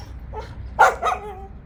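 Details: Two quick barks from Jindo dogs during a walk, the first louder and the second following a fraction of a second later, then a brief fading whine.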